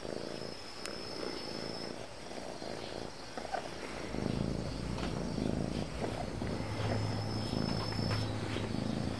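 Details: Calico cat, described as affectionate and dog-like, purring: a low, steady rumbling hum that grows fuller after the first few seconds, with a faint insect-like chirring and scattered soft clicks in the background.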